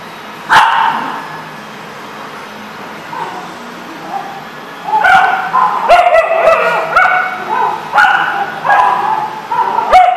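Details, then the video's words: Dogs at a dog facility barking in a busy chorus: one sharp bark near the start, then from about five seconds a run of overlapping harmonic barks and yips from several dogs, roughly one a second. "The Barking Lot"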